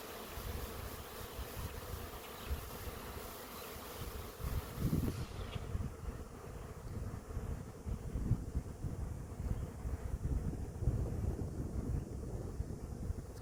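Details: Swarming honey bees from an apiary settling on a branch before capture: dense low droning hum throughout, uneven in loudness, with a whine around 500 and broadband hiss early on.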